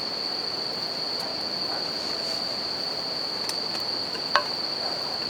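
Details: Bell crickets ring out near a river and crackling campfire, their continuous high-pitched trill unbroken across the clip while running water hisses underneath and a few loud fire snaps cut through.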